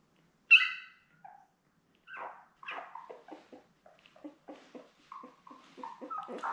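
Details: Seven newborn Labrador Retriever puppies with their mother Belle, born May 24, 2021, filmed by a live puppy cam on June 4: one sharp high yelp followed by a rapid run of small squeaks, grunts and whines.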